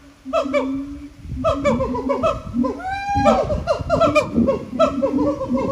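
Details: Captive siamangs singing at Japan Monkey Center, throat sacs amplifying their very loud voices: rapid series of barking, booming notes with stacked tones, broken by one long sliding whoop that rises steeply midway, then more fast barks.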